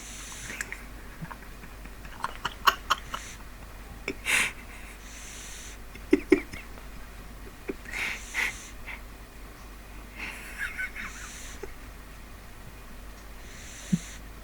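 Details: Sleeping pet pug named Neil snoring in a small room, raspy wheezing breaths rising and fading roughly every two to three seconds, with a few short snorts and clicks between them.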